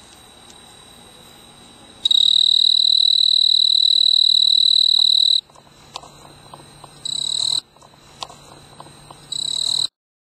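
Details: Snowy tree cricket (Oecanthus fultoni) stridulating on a clematis bloom on a veranda in mid-August, a male trilling for a mate: a shrill, evenly pulsed high trill in bursts that start and stop, with quiet knocking and hum between them.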